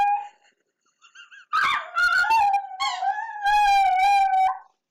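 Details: Pet dog named Treasure howling indoors while playing with her squeaky toy: a few soft squeaks, then a sustained wavering howl holding a steady pitch for about three seconds.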